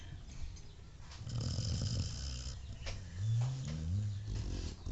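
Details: Pet dog snoring while asleep: low, rumbling breaths that swell and fade in slow waves, with a deep drawn-out snore near the end and faint household background noise.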